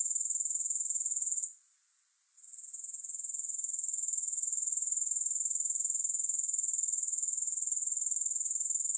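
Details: Grasshoppers heard without music: a brief dip in the high, shimmering trill early on, then a steady, evenly pulsing shrill chorus at about four beats a second.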